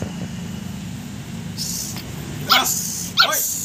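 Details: A young pug confronting a small mongoose lets out two brief, shrill barks roughly 0.7 seconds apart in the second half, with a constant low hum and hiss underneath.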